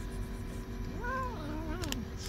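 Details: Kitten, one of two little lions that won't dare come close, meows while pets are fed in the rain in April 2024; a single arched, drawn-out meow falling at the end, over constant rain hiss.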